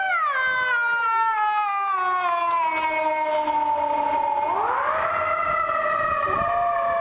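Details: A female Golden Retriever on her daily walk howls along with a passing ambulance siren, a long sliding note that falls slowly, then swings upward again.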